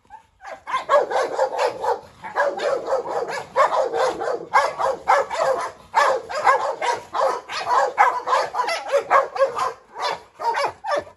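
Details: Agitated barking from a trio of dogs, a brindle Presa Canario going after a Rottweiler with a Staffordshire adding to the fuss; a dense, continuous stream of overlapping barks lasting over ten seconds.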